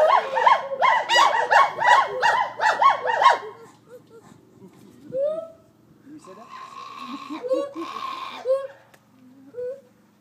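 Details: Gibbon song at the Gibbon Conservation Center opens with loud, rapidly repeated whooping notes for about three seconds, then fades to scattered softer hoots and a brief cluster of calls, with a low hum beneath.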